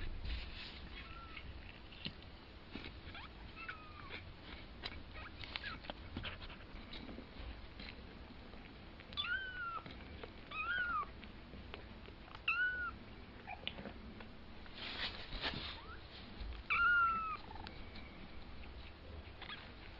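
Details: Two-week-old kitten learning to walk gives high, thin arched mews, each with a faint rising-falling overtone, repeated irregularly every one to two seconds over soft rustling and handling noises indoors.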